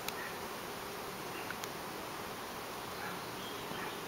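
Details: A large swarm of bees suddenly breaks loose from a backyard fig tree and takes to the air, whipping around; a dense, steady, hiss-like buzzing fills the whole stretch, with a few faint clicks.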